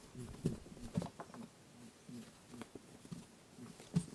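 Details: Indoor lop-eared rabbit at play, chasing friend Pooh with its boo-boo sound, captured on a TASCAM DR-07X: quick low grunting pulses, roughly four per second, with a couple of louder thuds.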